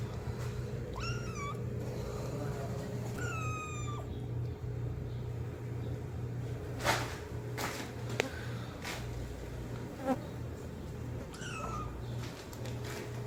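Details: Kitten calling loudly for its mother: a few short, high meows with falling pitch, spaced around one to three seconds apart, over a steady low hum, with several sharp knocks and clicks in between.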